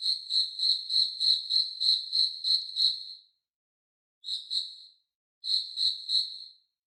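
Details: A cricket's call: regular bursts of high pulsed chirps, roughly three per second, broken by two short pauses, with nothing else audible.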